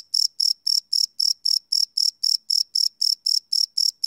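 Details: Cricket calling at night, recorded live on a field recorder: short high-pitched chirps, each a quick buzzy pulse, repeating at a brisk even pace of about four per second.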